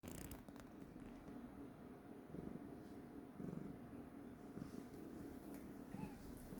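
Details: A domestic cat described as seemingly in a bad mood purrs in a low, steady rumble that holds quietly throughout, with a brief brighter scratchy noise near the start.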